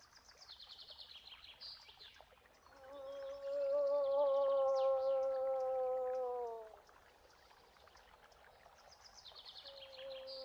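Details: A moose voices a drawn-out, even moan of about four seconds that sags slightly as it ends, then starts another; small birds chirp repeatedly in the background before and after.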